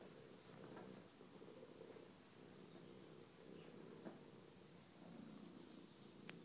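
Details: Low, evenly throbbing purring from Bella the cat at play with her star chaser, swelling slightly in places, with an occasional faint click over the rumble.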